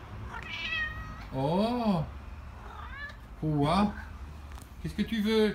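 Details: Maine Coon cat Louscard, indoors on 10/03/2017, trading drawn-out, arched and wavering meows with a person speaking French who asks what it wants and whether it is hungry; three main meows with human voice between them.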